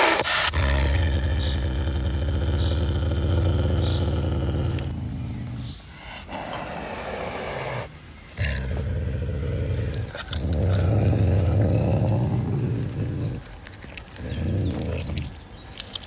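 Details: While eating, the caracal Pumba keeps up a deep rumbling growl in long stretches of several seconds, rising and falling in loudness, with short quiet gaps and rougher, noisier passages toward the end.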